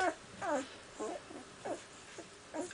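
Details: Iska's puppies at six days old, squeaking indoors: a run of short, thin whimpers and squeals, about five in under three seconds, each a quick bent whine with faint rustling between them.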